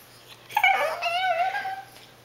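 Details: Cassie, a household dog begging for her owners' food, lets out a single drawn-out whimper that starts high, drops, then holds a wavering tone for over a second indoors.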